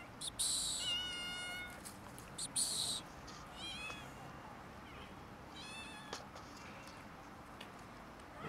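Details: Several cats and a kitten quarrelling over food; a loud harmonic-rich meow rises then falls, followed by a short bright yowl and a string of quieter wavering meows, with clicks and a low background hum.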